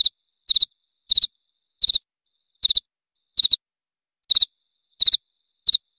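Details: Repeated cricket chirps, each three rapid high pulses, coming about every two-thirds of a second in a steady rhythm with no other noise.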